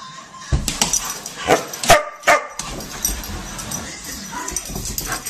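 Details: Dobermann barking in loud, broadband bursts, several sharp barks spaced irregularly about half a second apart, mixed with human speech and background music.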